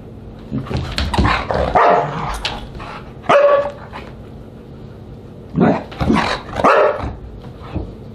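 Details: Siberian Husky at dinner time, July 24, 2022, making bursts of rough, broad barking and yowling calls in two clusters, with shorter yips between and a low background hum.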